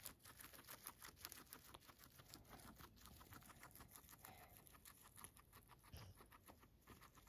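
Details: Guinea pig Max eating grass, crunching steadily: a rapid run of dry, crisp chewing clicks, several each second without pause, recorded close and quiet over a faint background hiss.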